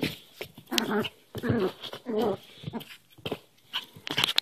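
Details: Cairn Terrier puppy being ferocious in play while hand wrestling indoors; low rumbling growls in three clear bursts, then softer huffs and scuffles.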